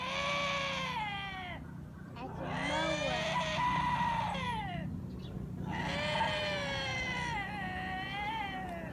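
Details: Lynxes giving weird growling sounds, described as humanlike: three long moaning wails separated by short pauses, each with wavering, bending harmonics that rise and fall in pitch.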